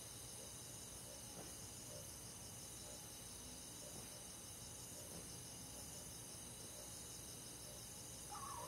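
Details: Countryside crickets on a summer night in the forest: continuous high buzzy trilling from many callers, faint repeated chirps, and a brief louder mid-pitched sound near the end.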